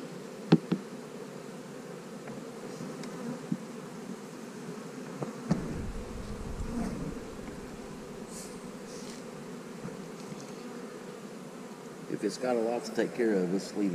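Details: Hive of honey bees being split into new colonies with queen cells: a continuous low droning buzz holds throughout, with a brief rustle near the middle and a person talking over it in the last seconds.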